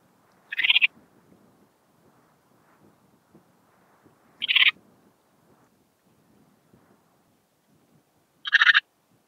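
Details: Antaxius difformis, the Eastern Mountain Bush-cricket, singing at Timmelsjoch in Italy on 26 August 2022: three brief scratchy buzzing chirps spaced about four seconds apart over a quiet, faintly rustling background.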